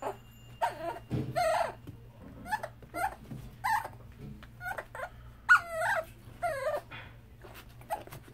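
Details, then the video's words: Young male dachshund confined in a hospital cage and eager to get out, giving short broken whimpers and squeaky yelps, irregular and fairly soft, with a low mechanical hum and light knocking beneath. "Cute dachshund wants to get out of the cage!!"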